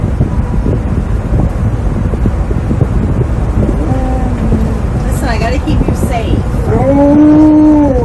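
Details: Mad about wearing a seatbelt in a moving car, Tonka the Alaskan Malamute lets out short moaning tones, then a rising-and-falling woo-like howl near the end, with continuous engine and road noise beneath.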